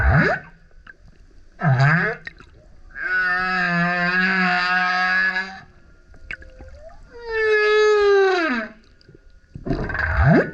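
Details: Male humpback whale singing very loudly as he surfaces next to a kayak: loud moaning tones, burps, grunts, roars and sliding howls, each unit separated by short pauses. Humpback whale.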